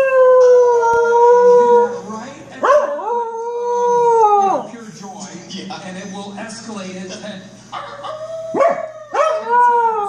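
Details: A corgi howls at the TV show Better Call Saul, giving long, wavering howls that swoop up and then hold steady, with the show's music behind.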